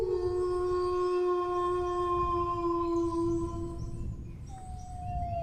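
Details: A howling dog holds one long, even note for about four seconds before it breaks off, then starts a second drawn-out tone, with a steady low hum underneath.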